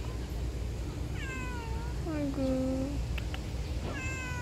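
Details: Street cats being fed outdoors, a calico and a mackerel tabby, on a hot June day: several drawn-out descending meows with clear harmonics, one lower and longer, while a woman softly urges them to eat.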